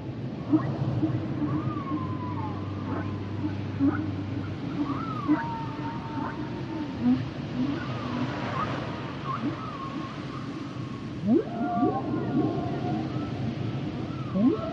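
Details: Humpback whale song of wavering tonal whistles, looping slides and sharp rising sweeps, set within a busy low rumbling background and a steady low hum in the first seconds.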